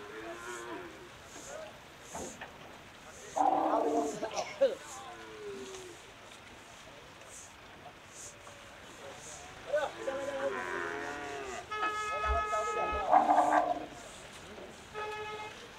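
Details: Cattle in Bangladesh mooing in two long, low, wavering bursts around four and eleven seconds, with faint voices and a bright tonal electronic beep near thirteen seconds.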